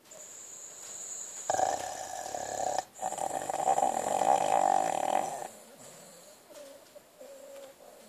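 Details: Sweety, a pet dog, asleep and dreaming, gives a rough, rasping snore: a long buzzy breath of about four seconds, broken once by a short pause, then fading to quiet wheezy breathing.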